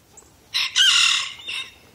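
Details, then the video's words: Kunekune pigs, a pair, squealing at dinner time as they run to their food tray after being called; two harsh, noisy bursts, one long and one short, with a quiet pause between them. "Dinner time for squealing KuneKunes"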